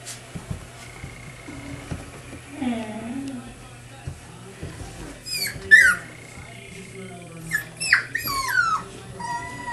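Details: Four-week-old puppies playing together at a kennel: scattered high, sliding yips and whimpers, some rising then falling in pitch, in short bursts among quieter grunts indoors.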